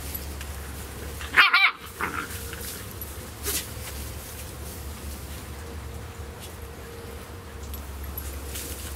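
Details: Two 11-week-old Beagle puppies from a rescue playing: one sharp, loud yip-bark, then a couple of fainter yelps, against a steady low hum and soft background rustling.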